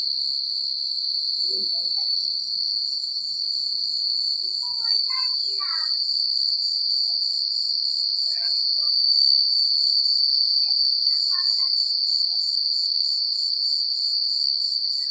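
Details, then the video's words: Nighttime chorus of crickets in quiet rural countryside: an unbroken high-pitched pulsing trill, swelling slightly louder midway, with a few faint higher chirps dotted underneath. "The Sound of Crickets at Night"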